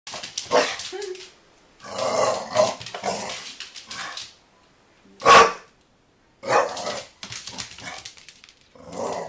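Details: A pet dog barking at a soccer ball, sharp broadband barks in bursts with short pauses, some growly rough stretches between, a loud single bark near the middle.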